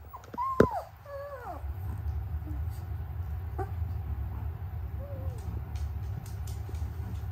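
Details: Noble Shepherd puppies, a grey wolf and German Shepherd hybrid breed, in a cross-species co-parenting setting. A short burst of bending, falling whines opens the recording, then a lone soft whimper follows later over a low background hum.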